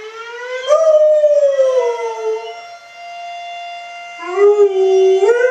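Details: Oscar, a pet dog, howls in response to a fire alarm: two long wavering, harmonic howls rising then sliding down, separated by a quieter gap in which the steady electronic alarm tone continues.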